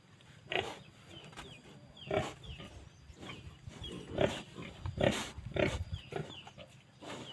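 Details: Phu Phan wild boar kept in Kham Muang, Kalasin province, Thailand, giving short harsh grunting bursts about once a second. A steady high insect-like hum and faint bird chirps sound behind them.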